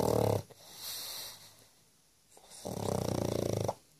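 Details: Sleeping pug snoring loudly; a harsh rattling snore at the start, a soft hissing breath, a quiet pause, then another long vibrating snore of about a second.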